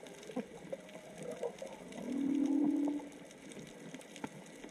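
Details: Whale song heard underwater while snorkelling off Onna, Okinawa, probably 3–4 whales calling: a long, steady moaning tone that swells and fades.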